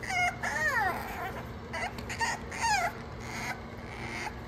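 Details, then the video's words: Playing French Bulldog puppies let out squealing whines that slide downward, several in quick succession, mixed with brief yelps over a steady low hum. "FRENCH BULLDOG PUPPIES GOING CRAZY"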